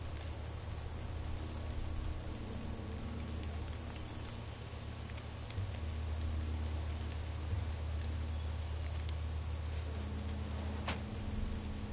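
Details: A steady low rumble and even, rain-like patter fill the whole stretch, with no animal calls standing out.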